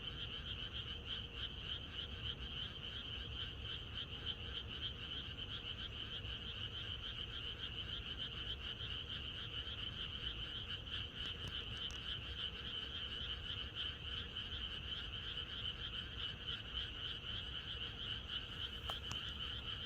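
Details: Rural frog chorus on a night before rain, many frogs calling together in a continuous, throbbing trill of high and middle tones that never pauses, with a faint low background hum throughout.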